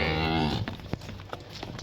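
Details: Friesian Cholistani cross cow in Pakistan, filmed during live milking on 23/08/2024 and offered for sale; a short, low, harmonic moo lasting about half a second opens, then fades into clattering and footstep-like knocks.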